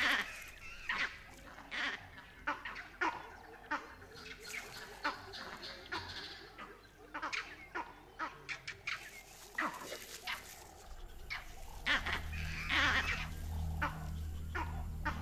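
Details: Vervet monkeys chattering in alarm on Dead Tree Island, calling from the direction of the leopard's den and alerting the leopard Mosweo; sharp, noisy chatters burst irregularly about once a second, with a low rumble rising near the end.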